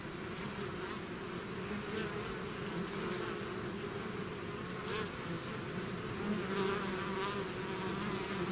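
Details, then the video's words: Honey-toned drone of a bee swarm emerging from its hive, steady and dense, with individual bees whirring closer now and then above the constant hum. "bees therapy swarm natural buzzing sound"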